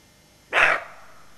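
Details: Roe deer doe on alert with her fawn gives a single harsh, hoarse bark, short and broad, rising sharply out of a quiet background and fading quickly.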